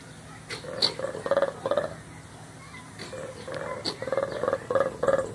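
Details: Colobus monkeys at Louisville Zoo giving loud, rapid, rattling pulsed calls in short bouts, several pulses per second, pausing briefly between bouts over a steady low hum.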